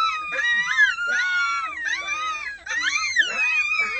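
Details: Overlapping red wolf howls at dawn, with six captive pups close to one month old joining the adults; many voices sliding and wavering together in a thick, continuous chorus.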